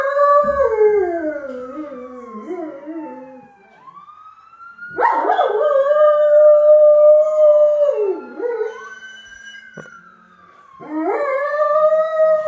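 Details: Dio the dog joins an ambulance siren with long, loud howls. A falling, wobbling howl opens the recording. A strong sustained howl holds from five to eight seconds, and another begins near the end. The siren sweeps up and down throughout.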